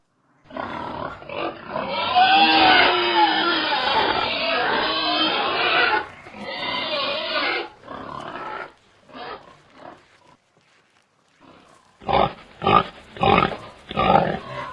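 Pigs give loud, harsh squeals and screams, then short grunting bursts after a brief lull.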